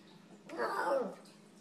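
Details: Snowball, a Maltese pup, says a little hello to his mom indoors: a single short, throaty, warbling sound lasting about half a second, in a quiet small room.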